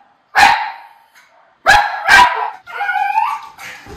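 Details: Miniature Schnauzers, two brothers, barking in excited chaos on first seeing a river otter up close in Aroostook County, Maine: sharp, loud barks at about 0.4, 1.7 and 2.1 seconds, then a whining, yelping cry.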